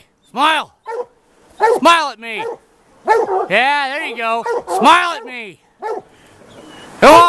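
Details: Plott hounds of the White Deer line hunting a big tom mountain lion one afternoon after its track was found; short chopped barks give way to long, arched, ringing bawls, with several hounds overlapping midway.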